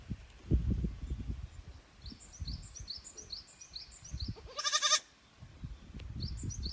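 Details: Goat kids at Yoshigake goat farm on 15 May 2024, visiting another pasture for the first time; one loud, shaky bleat near the middle, with thin high bird chirps and rustling, thumping noises around it.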